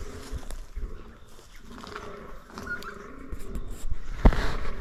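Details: Rutting fallow deer in 2023, a buck among roughly 15 others at a scrape. Deep, rumbling groans sit low and repeat quickly, with a sharp knock and rustling near the end.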